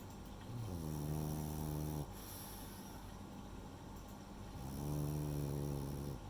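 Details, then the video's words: Rei, a female French Bulldog, snoring while asleep: low rumbling inhalations with a harmonic, buzzy tone, two long snores about four seconds apart, steady background hiss. "寝る前に聞きたくなるフレンチブルドッグのイビキ（snoring dog）"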